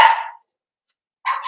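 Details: Blenheim Cavalier King Charles Spaniel puppy, part of a New Year litter of five, indoors in its pen: two loud, sharp yips separated by about a second of silence.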